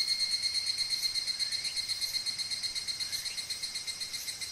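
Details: Higurashi cicada calling in Oku-Mikawa, Japan: a rapid, even train of high pulses, about three a second, with bright ringing tones layered on top. It runs without a break, and no other sound stands out.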